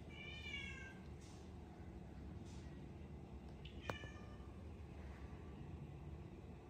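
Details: Rescued cat, grown lazy and no longer playing, lets out one clear, short, downward-sliding meow near the start, followed by a sharp click against constant low room hum.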